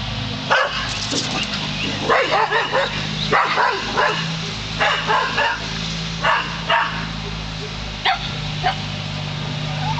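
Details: Domestic dog barking at a hot air balloon, recorded close up: repeated short harsh barks in loose bursts of two to four, with a steady low hum underneath throughout.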